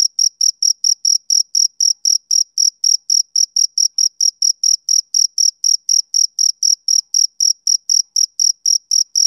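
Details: Summer-evening chirping of a male cricket, bright high-pitched pulses repeated about four times a second in a regular, continuous rhythm; no other sounds.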